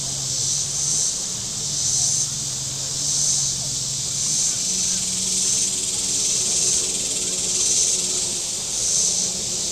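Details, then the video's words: Cicadas on a Missouri lakeshore, Table Rock Lake, on a hot Saturday with boating: a high, grating buzz pulsing about once every 1.2 seconds, plus a low droning engine that shifts in pitch. "Boating Lake Sounds and Cicadas"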